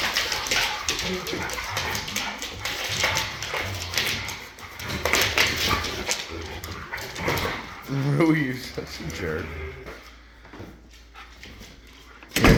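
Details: Three huskies play fighting, with rough growling, yips and a rising whine over the scuffle, and people talking and laughing throughout.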